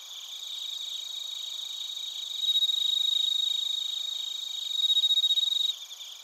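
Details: Narita, Chiba, Japan: bell crickets and crickets on a TASCAM Portacapture X8. A nearby insect gives bright, rapidly pulsed ringing trills in two louder bursts, the second cutting off abruptly near the end, over a soft shimmering chorus.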